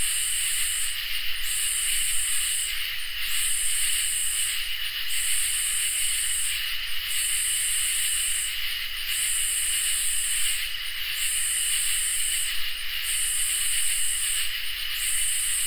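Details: Summer night insects, crickets and katydids, in full chorus. A shrill continuous trill is punctuated by high sizzling buzzes about a second long, cycling on and off with short gaps over a quiet low background.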